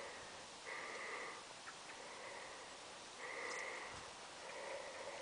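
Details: A Clydesdale named Geordie trotting up a steep hill outdoors, heavy breathy exhalations in long whooshing pulses spaced irregularly, with faint rustling in the background.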